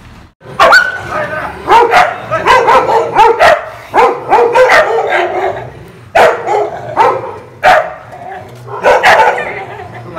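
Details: Street dogs fighting, three against one, in the Pahadi hills around Berinag; harsh overlapping barks and snarls come in rapid bursts throughout, with brief pauses near four and six seconds, loud and close.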